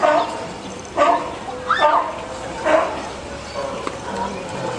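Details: California sea lion mother and pup resting at Higashiyama Zoo, recorded on a PowerShot S3 IS; short harsh barking calls roughly once a second, each a brief burst, with a murmur of people in the background.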